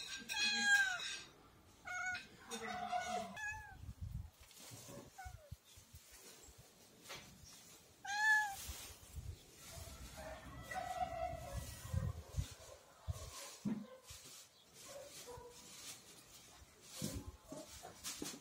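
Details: House cat meowing while waiting for its lunch; a cluster of short meows at the start, one clear arching meow midway, then softer drawn-out calls mixed with rustling, handling noise and faint voices.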